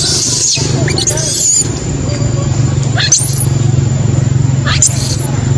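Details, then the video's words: Crying of a baby macaque left by its mother: three or four separate piercing upswept squeals, each rising fast then levelling, spaced a second or more apart, over a constant low hum. "Poor baby monkey was abandoned by mother monkey, crying heartbreakingly"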